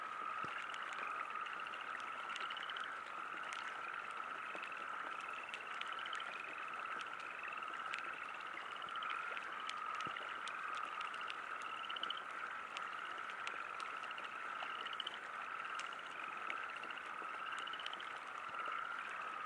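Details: At a riverside campsite in light rain, frogs keep up an unbroken high-pitched chorus while quick rattling trills, each climbing a little, recur every one to two seconds amid faint rain ticks.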